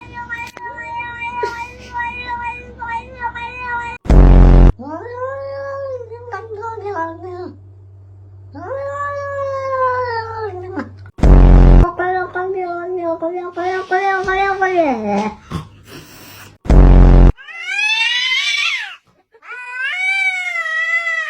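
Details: Domestic cats making talkative, human-like noises: a series of long, drawn-out meows that bend up and down in pitch, some wavering like speech, separated by pauses and interrupted three times by short, loud bursts of noise.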